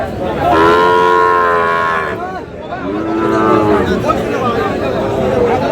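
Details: Sahiwal bull calves at the Aftabganj cattle market in Dinajpur, Bangladesh, during buying and selling on 13 June. Two long, loud, harmonic moos, each about one to one and a half seconds, separated by a pause, with market chatter behind.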